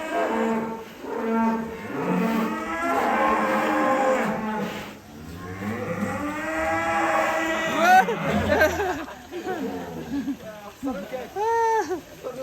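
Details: Huge 'monster' cattle kept in a pen in Indonesia and offered for Qurban sacrifice. Long, drawn-out bellowing moos with rich harmonics, overlapping and wavering, with a brief human voice near the end.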